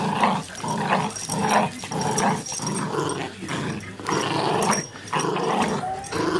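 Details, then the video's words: Pet Chihuahua that loves rough play, growling steadily through a short stretch, rough buzzy snarls in quick bursts with brief breaks, indoors, clattering of play in the background. "Playing with my brothers Chihuahua"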